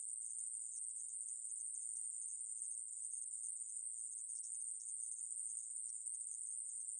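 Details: Aemaeburi, a Korean conehead katydid, from a 2020 National Institute of Biological Resources recording: a thin, continuous high-pitched trill that never pauses across seven seconds, with slight flickers in intensity and a quiet background.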